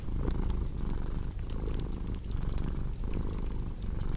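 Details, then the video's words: Continuous low purring from a pet cat, throaty rumble rising and falling with each breath, set against snapping, crackling fireplace sounds. "Purring Cat with Cozy Crackling Fireplace Sound"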